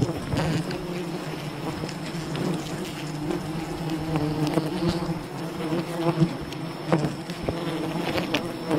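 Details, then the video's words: Wild bee colony buzzing during honey hunting, a dense steady hum of many bees with low harmonic bands, scattered sharp knocks and clicks throughout, and a faint constant high tone. "Wild bee honey hunting"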